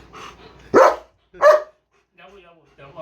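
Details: German Shepherd letting out two loud, abrupt barks close together, surrounded by a person's Bengali speech before and after.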